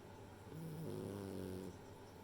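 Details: Rei, a female French Bulldog, snoring while asleep: one drawn-out, low, droning snore with a steady hum of stacked tones, swelling for about a second and then fading, in a quiet room.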